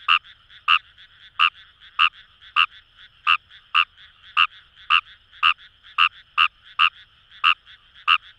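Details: Wild Fejervarya kawamurai calling from rice paddies on the Kamo River, Itoshima, Fukuoka, Japan: a steady series of about sixteen short, hard croaks, nearly two per second, with a soft continuous frog chorus filling the gaps.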